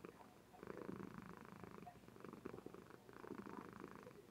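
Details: Indoor webcam recording of a female Somali cat purring in her sleep: a low, vibrating rumble in three or four rhythmic swells, each lasting about a second, with brief softer gaps between.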